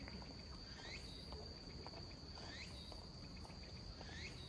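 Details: Robust cicada (tsukutsuku-boshi) calling at a slow tempo in autumn, late September, around 17:30, perhaps weakened; rising sweeping phrases repeated about every 1.7 seconds over a steady high insect drone and rustling background.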